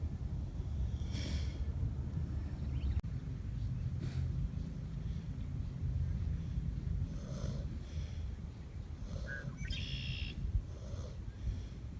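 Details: Two Kunekune pigs napping in the sun snore in low, rumbling breaths, with a few brief snorts breaking through.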